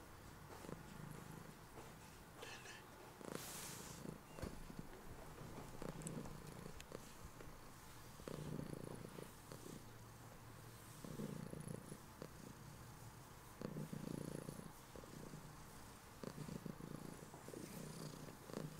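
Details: Heliana, a female house cat, lying in bed after waking and not letting her owner rise, purrs continuously; a low throbbing rumble comes in regular louder swells every couple of seconds, with faint rustling.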